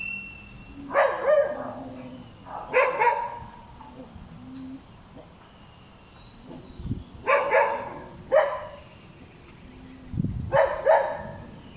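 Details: Repeated dog barks in pairs and short runs, roughly every one to two seconds, with a few low thumps and faint background noise between bouts.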